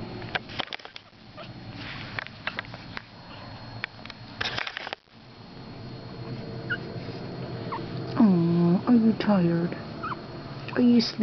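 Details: Young Pekingese puppies, four weeks old, after some early rustling and thumps, let out a run of wavering, nasal whines that dip and level off, repeated several times near the end.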